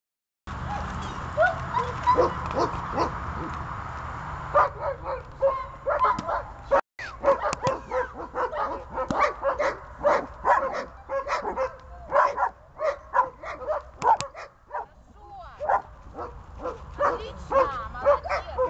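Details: Dog in training to hold a decoy, early stage of the training; a long run of sharp barks repeated roughly every half second, with a faint hum early on.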